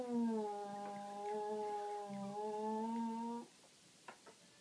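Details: Dexter, a West Highland White Terrier, howls indoors at night after failing to find a spot to bury his toy. The cow-like moo is one long, steady, low moaning tone of about three and a half seconds, followed by a few faint clicks.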